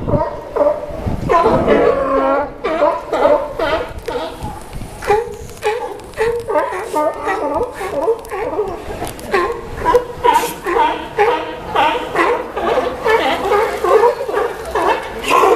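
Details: Sea lions hauled out dockside in Newport, Oregon, keep up a steady raucous chorus of gravelly barks, roughly two per second, many voices overlapping throughout with rhythmic pulses toward the end.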